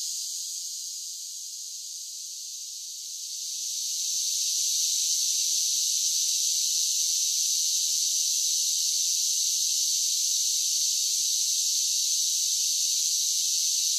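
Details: Cicadas in summer form a continuous shrill buzzing chorus. It dips softer for a few seconds near the start, then rises and stays loud and level to the end.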